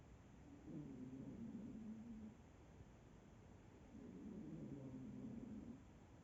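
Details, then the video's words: Sleeping cat snoring: two long, low, rough breaths with a faint tonal edge, each lasting under two seconds and spaced about three seconds apart, over a steady quiet background hum. "кошка храпит"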